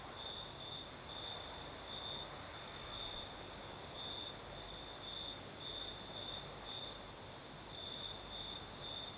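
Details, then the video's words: Crickets singing at night in the south of Crimea with a night breeze: a continuous high, shrill trill swelling into brighter pulses roughly once a second, over a steady airy hiss and soft low rumble. "Сверчки поют"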